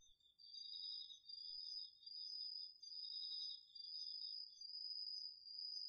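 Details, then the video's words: Autumn night insect chorus, crickets among them, from a garden field in Japan, captured on a DR-40X: two continuous shrill trills at different pitches run together, the upper one swelling in brief pulses. "秋の虫の声 ASMRでおやすみなさい 〜虫の音を枕元で聞いてね〜 こおろぎ他"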